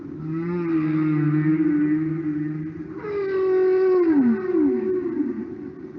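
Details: Humpback whale solo from the documentary record Songs of the Humpback Whale by Dr. Roger Payne: long moaning tones, a steady low note, then a louder rising cry that swoops downward in two falling glides, with rich overtones.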